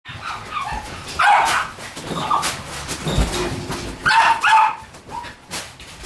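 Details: Shiba Inu puppy born on 21 September 2018 gives short, high yelping bursts, two louder yips near the start and two more later. Soft rustling and handling noise lie between the calls.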